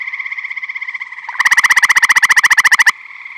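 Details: Eastern gray tree frog at a Michigan vernal pond crowded with tree frogs, spring to summer: a close, loud pulsed trill of roughly twenty-three quick regular beats lasting about a second and a half, with a dense trilling frog chorus behind it.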